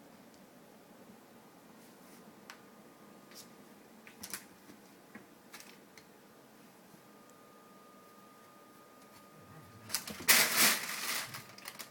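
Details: Quiet indoor room with faint clicks, taps and a brief louder rustling burst near the end; a thin steady electronic tone runs through part of it, and no animal voice is heard.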